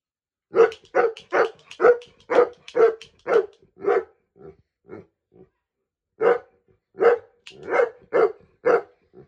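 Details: Saint Bernard dog, three years old, barking each time he is shot with a toy gun: a burst of about nine loud, rough barks in quick succession, a short pause, then another run of five or six barks.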